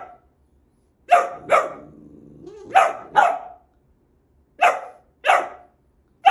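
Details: Male pet boxer dog barking playfully indoors: paired loud barks in three bursts with pauses of about a second, a low grumbling whine between the first pairs.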